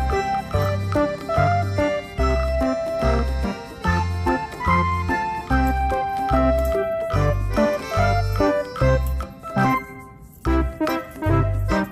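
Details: Bright, cheerful music fills the whole stretch: jingling bell tones and organ-like melody over a steady, bouncy bass beat, with no animal voice audible.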